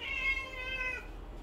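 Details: Indoor Siamese cats, seal point Licko and lynx point Mićo and Lea, crying loudly for food before refusing cooked beef. A single drawn-out, harmonic-rich meow holds steady, then slides down and fades after about a second.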